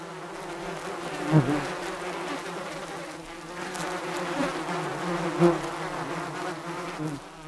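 Bees buzzing steadily, a low droning hum with a few louder swells as individuals pass close.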